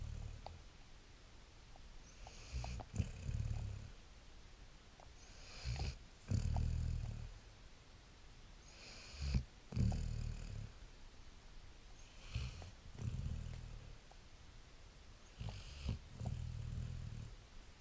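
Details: A tired, sleepy Great Dane pup snores in deep, rumbling breaths with a hissing edge, repeated about every three seconds.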